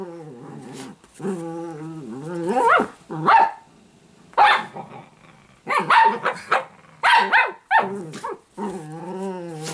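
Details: Sparkle, a pet Italian greyhound puppy, alternates long, pitch-bending growls with bursts of sharp yapping barks, growls swooping up and down between outbursts.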